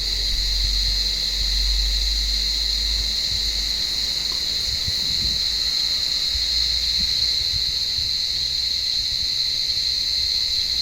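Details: Cicadas calling from an olive tree on a warm evening while blind cats climb the branches hunting them: a loud, unbroken buzzing drone with a bright steady high tone and a weaker lower band, plus soft low thumps of movement.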